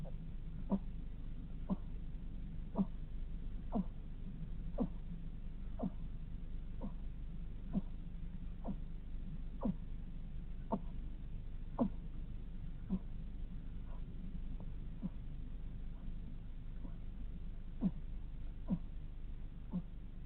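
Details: A sleeping hedgehog snoring with faint, brief downward-sliding squeaks repeated fairly steadily, about one each second, over a constant low hum.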